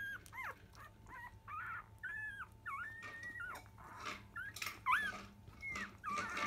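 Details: Newborn field-line Labrador Retriever puppies, five days old, at morning nursing around ten: a run of wavering, bent whines and squeals, some long and flat, over soft rustling and a faint steady hum.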